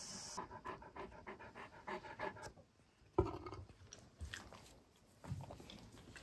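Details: Great Pyrenees indoors in a room at home, heard panting in quick rhythmic bursts for about two and a half seconds, then a pause broken by a sharp thump, with softer panting returning near the end.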